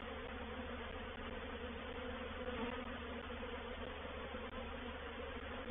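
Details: Reproductive swarm of honey bees moving into a bait hive, Painted Peacock Manor, 04/07/21. A steady, full-bodied humming of countless wings, with layered low tones and slight swells in loudness.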